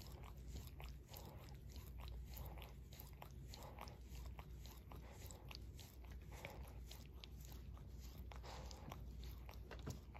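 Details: Indoors, Barry the Shorkie, adopted two years earlier, keeps licking his paw: a long run of moist clicking laps, fairly steady, with brief pauses, over faint background rumble.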